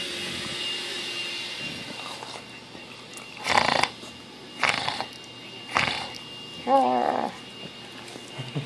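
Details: Pet Bulldog named Bravo during play indoors, dated 8/20/13: several breathy huffing bursts followed by a brief wavering whine-like grumble near the end, in a quiet small room.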